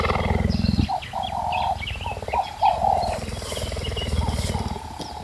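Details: Close-range cheetah in Namibia, kept and fed donkey meat once a day, gives a rough, pulsing purr at about four beats a second that swells and eases, with scattered faint high chirps and a low murmur behind.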